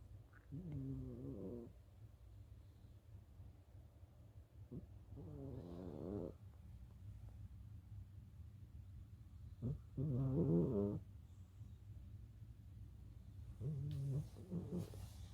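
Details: A 15-year-old Siamese cat snores in its sleep: low, rumbling, harmonic snores about a second long come in four bouts spaced roughly four to five seconds apart, with faint breathing between them.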